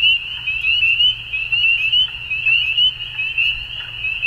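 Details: Frogs at dusk produce a bright, high trilling chorus, chirps rising slightly and recurring about once a second, over a gentle low hum.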